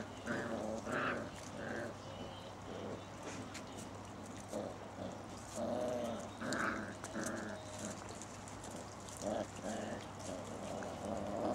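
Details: Six-week-old Basset Hound puppies playing in a garden with their mother and father nearby, 19 September 2009: rough, harmonic growls and yips in irregular bursts, some higher squeals mixed with low rumbling grumbles, steady low hum underneath.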